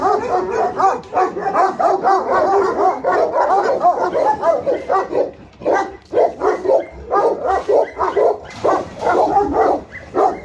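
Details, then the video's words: Alabai and Tibetan Mastiff guard dogs from Pogoanele, Buzău County, barking hard and almost without pause: deep, rough barks tumbling over one another in a dense, overlapping volley, with only brief gaps near the middle. "Alabai & Mastiff Tibetan Guard BFR-Dogs"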